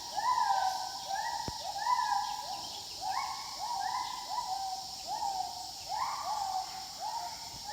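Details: Overlapping whoops from wild gibbons, each a short upward slide ending in a level tone, repeated steadily in a lively chorus. A single sharp click sounds early, under a continuous high insect hum.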